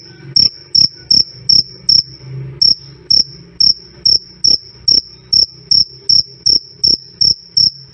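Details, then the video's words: Loud, clear "krik krik" of a cricket, offered as training audio for songbirds and as night-time sleep sound. Sharp high chirps repeat in an even pulse roughly every 0.4 seconds, with a brief pause midway and a soft low hum underneath. "Suara Jangkrik "Krik Krik" Keras Dan Jernih"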